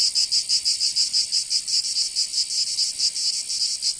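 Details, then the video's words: Cicadas singing in summer in Provence, southern France: a dense, high, buzzy rasping chorus pulsing rhythmically about five times a second, steady and continuous, with no other sounds. "Canto Cigarra 🦗 [ Escuchar les cigarras en verano 10 H]"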